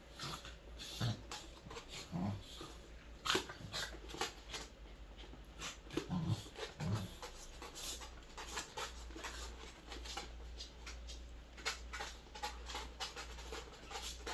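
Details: Three Welsh Corgis playing indoors give short grunts, whines and yips amid panting and scuffling.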